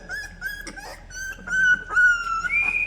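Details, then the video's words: Newborn Labrador retriever puppies on day 13 of life, giving a run of thin, high, drawn-out whines, some steady and some bending upward, with brief squeaks between them and a final rising whimper, all in a quiet indoor space. "New born Labrador puppies"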